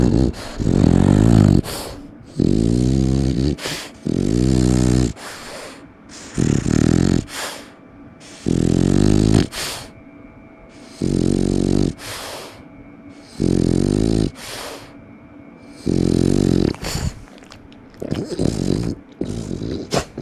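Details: Ginjiro, a French Bulldog, snorting and snoring: loud, rough, low rasping snores in about eleven bursts of roughly a second each, separated by short quiet breaths, with a rumbling, harmonic buzz.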